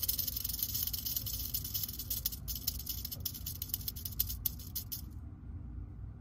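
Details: Crotalus atrox, the western diamondback rattlesnake, showing curiosity toward the recordist while shaking its tail in a sustained, sizzling buzz that cuts off near the end, leaving only a low background rumble.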